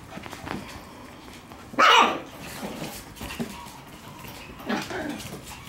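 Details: Playful Shiba Inu puppy indoors: a single loud, sharp bark stands out early on, followed by faint scuffling and softer noises of play in a small room.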